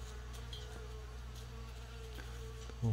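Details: Honey bee caught outdoors and struck by frost, kept indoors in a container in a room and drawn to the light. It makes a steady, slightly wavering mid-pitched hum, with a faint low room hum beneath and a brief noise at the end.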